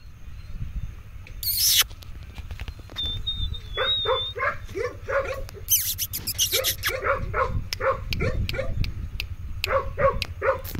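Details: German Shepherd puppy giving short, sharp barks in quick bursts, mostly clustered from the fourth second onward, with brief loud knocks and a faint thin whistle-like tone early on; low rumbling background throughout.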